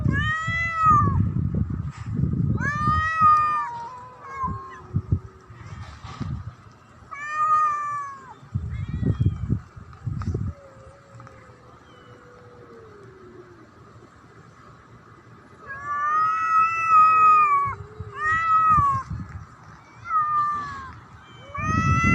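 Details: Domestic black cat threatening another cat: a series of rising and falling yowls alternating with low growling bursts and a faint, slowly descending moan, over about twenty seconds.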